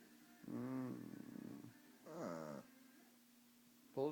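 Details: Shih Tzu named Popo growling on cue like a chainsaw, two rough harmonic growls, the first about a second long, the second shorter, with people urging him to start the chainsaw between them.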